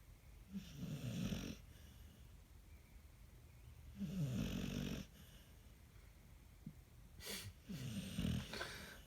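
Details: Ruby, a pet dog sound asleep, snores loudly: three rough, wheezy snorts roughly every three to four seconds, each about a second long with a gravelly low rattle, in a quiet indoor room.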